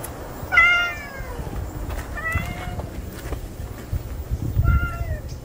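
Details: A newly appeared male stray cat gives three meows a couple of seconds apart. The first is loudest and bends downward, and the later two are softer and flatter, with a constant low hum underneath.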